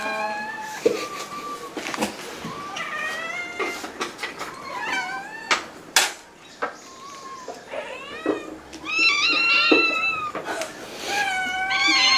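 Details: Ragdoll cat at home in Korea, one of a household of eleven Ragdolls; a rapid series of short, varied meows, some rising and some bending down, with sharp clicks and thuds between them and a louder, longer meow near the end.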